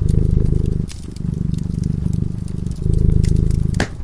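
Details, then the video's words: Domestic cat purring while sleeping in front of a crackling fireplace; steady low rumbling purr in long inhale-exhale cycles, with sharp pops and crackles of the fire scattered above. "Purring cat"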